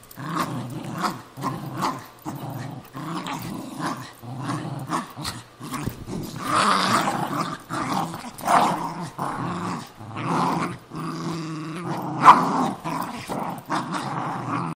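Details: Cairn Terrier and Jack Russell Terrier, two pet dogs, fighting over an old golf glove; continuous rumbling growls in repeated bursts roughly every half second to second, with snarling surges around the middle and a sharp snap near the end.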